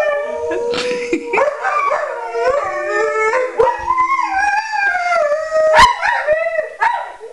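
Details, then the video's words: Alaskan Malamutes howling together, several drawn-out wavering voices rising and falling in overlapping tones, with brief yips breaking in near the end. "Alaskan Malamutes Howling"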